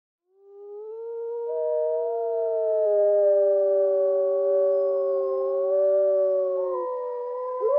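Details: Wolf howling: long, smooth, mid-pitched tonal notes held for about seven seconds, with at least two voices overlapping at slightly different pitches and gently rising and falling; quiet background.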